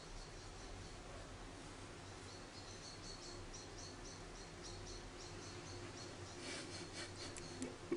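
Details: Hand-reared orphan baby grey squirrel named Charlie, rescued from a garden after falling from the nest, makes a faint series of rapid high squeaks that grow denser toward the end, with low background hum and a soft voice.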